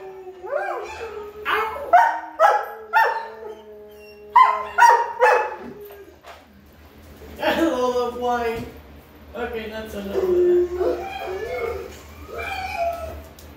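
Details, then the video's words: A dog reacts from her kennel to howling test sounds, first with a rapid series of short barks about every half second, then breaking into longer wavering howl-like cries. "Sounds to make your dog howl"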